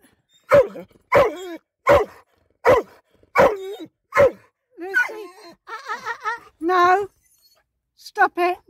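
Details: Pet dog inside a car barking at other dogs seen outside: six sharp, loud barks about every 0.7 seconds, then softer whining yelps and a long high whine, with a person scolding it to stop.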